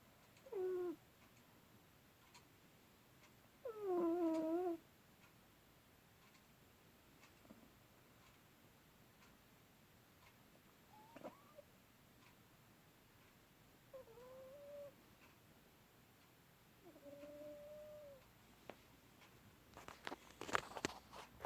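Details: Cat dozing indoors, murmuring a series of brief tonal mews and squeaks, some wavering, others flat and drawn out, separated by pauses; faint rustling and clicking near the end.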